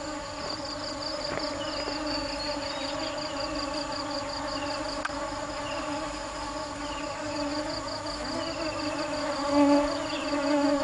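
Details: Bee. A continuous low drone of bee wings hums evenly throughout, thick with overtones and swelling slightly near the end. Behind it runs a faint high, pulsing insect trill, with a few soft chirps now and then.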